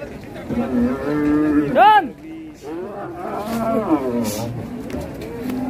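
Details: Raging cattle giving long, wavering harmonic moos, then a sharp rising-and-falling cry near two seconds, followed by more strained, undulating bellows, with music and a voice faintly behind.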